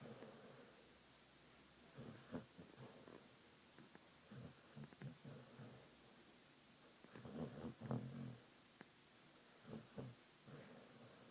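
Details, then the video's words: A pet dog dreaming in its sleep snores and snuffles softly in irregular short bursts of breathy rasping, with louder clusters every few seconds and quiet pauses between. "Snoring dog"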